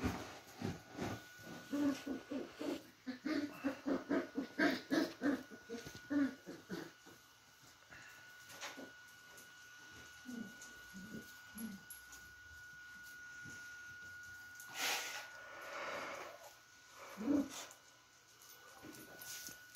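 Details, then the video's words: Beagle puppies in playtime, a fast run of short low yips and grunts early on, then scattered whimpers, scuffles and a few louder noises over a faint steady tone. "Beagle Puppie Playtime"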